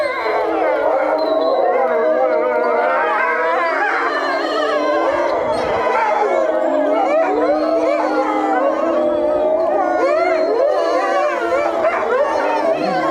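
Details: Group of European wolves in Tama Zoological Park, Japan, howling in chorus; a dense tangle of wavering, rising and falling howls with yipping bends, continuous across thirteen seconds.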